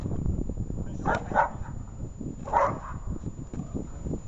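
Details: Dog named Shaman during protection training gives three loud, harsh barks: two close together about a third of a second apart, then one more a second later. Low human voices and rustling continue underneath throughout.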